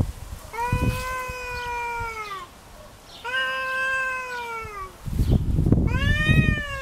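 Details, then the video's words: Kitty, a domestic cat, fighting over territory: long sustained yowls of about two seconds each, slightly falling in pitch, with a burst of loud scuffling and thumping near the end. "My Cat Kitty Fights over territory | Real Sound"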